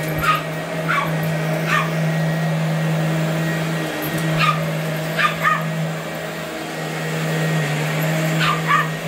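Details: A tiny 8.5-pound Boston Terrier aged 12 attacks the vacuum, which she has chased all her life. Loud, clipped barks, roughly ten, come irregularly in singles and pairs over a continuous low vacuum hum.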